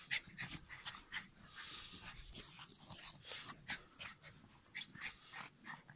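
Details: Norwich Terrier at winter play, panting rapidly in breathy, hissing bursts with a few small whimpering squeaks mixed among rustling movement.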